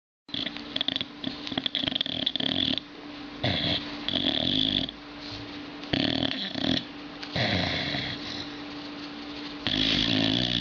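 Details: A sleeping Chihuahua snores indoors: long, raspy, wheezing breaths in bursts of about one to two seconds, with a steady low hum beneath, repeating through the recording.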